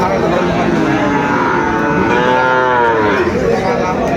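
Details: Sahiwal bull calves at Aftabganj cattle market in Dinajpur, Bangladesh, on 2 September; one long drawn moo with a wavering, slightly rising then falling tone, over a constant crowd din.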